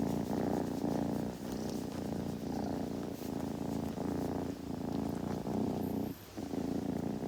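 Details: Continuous kitten purr, heard intimately as the animal grooms: a low vibrating hum that swells and fades with its breathing, broken by a brief gap near the end.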